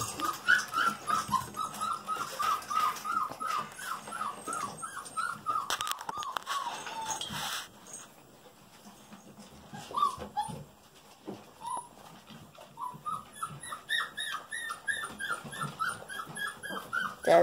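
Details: Golden Retriever puppy girls at about five weeks, tumbling in play with one on top of another: rapid strings of thin, rising-and-falling whimpers, a quieter stretch midway, then whining resumes; a woman speaks briefly.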